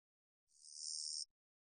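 A long-winged katydid gives a single dry, high buzz lasting under a second, swelling then cutting off sharply.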